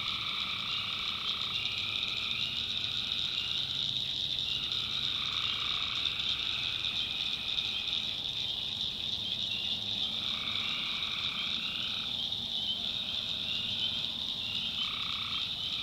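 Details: Tree frogs in a nighttime swamp in the backwoods of North Carolina, a steady high-pitched trilling wall of sound while lower croaking bursts switch on for a second or two and stop, repeating every few seconds.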